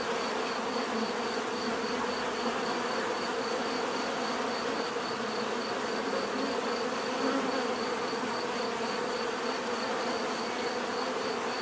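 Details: Natural bee buzzing sustained for the whole stretch: a broad, unvarying drone of many insects with deep humming layers and a faint, regularly pulsing high note.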